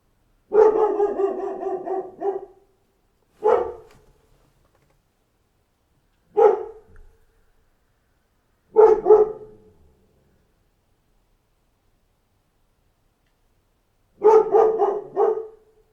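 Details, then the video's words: Dog barking in bouts over sixteen seconds: a fast two-second volley, three single barks spaced about two to three seconds apart, a long silent gap, then a final quick double burst; harsh, mid-pitched barks. "Dog Gone Mad! Wake Up to the Sound of a Barking Dog"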